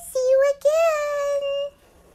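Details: Shih Tzu named Schuggar howls her "Italian aria": a short clipped note, then one long, steady, slightly rising tonal howl held for over a second before stopping abruptly, indoors with no other sounds.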